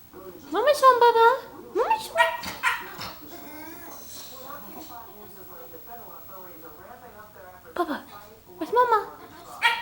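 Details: Pet dog Baxter, also called Bubbie, crying because he knows his mommy is home: high, wavering whines that rise and fall in bursts, with people talking between the cries.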